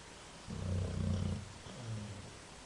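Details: A sleeping dog snores with one long, low, rasping breath followed by a shorter, softer rumble, both deep and growly, over a quiet background.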